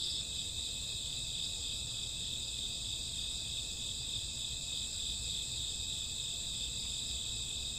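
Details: Crickets and grassworms on a summer or autumn night, a dense steady high-pitched trill of many insects held continuously without pause, over a low background rumble.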